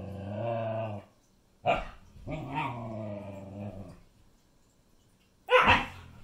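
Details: Siberian Husky puppy grumbling at her sister indoors: drawn-out low harmonic growls broken by short sharp yips, one rising growl near the middle and a loud bark-like burst at the end.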